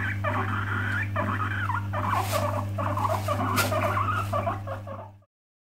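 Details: Upset guinea pig chattering its teeth as a warning to stay away: rapid sequence of short wavering squeaks and sharp clicks, about three per second, over a low hum, then abrupt silence.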